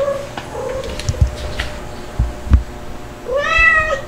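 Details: Domestic kittens indoors, a white Dalmatian-spotted one and a black one, with their mother cats; short mews early, then a clear rising-falling meow near the end over low thumps and handling noise.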